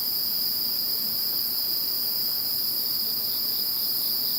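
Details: Once Typhoon No. 21 has gone, many insects sing together in a constant shrill drone, stacked high bands of tone holding steady with no pauses, over soft low noise.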